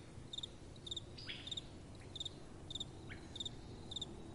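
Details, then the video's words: Crickets in a calm night setting: crisp, high double-pulsed chirps every half second or so, with brief faint downward sweeps between them and only a light background hiss. "Relaxing Night Time Sounds | Crickets & Soft Wind"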